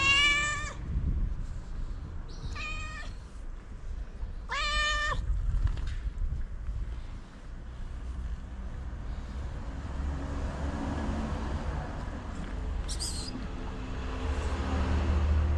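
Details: Loud meowing from a feral tabby cat calling other cats to food outdoors; three strong harmonic meows in the first five seconds, then steady low traffic-like rumble with a brief high chirp near the end.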